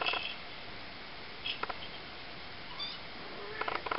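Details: Three-week-old Ocicat kittens, a litter of four (black silver, chocolate and tawny females, one tawny male), give a few faint, short, high mews and thin rising chirps, scattered among soft clicks and rustling.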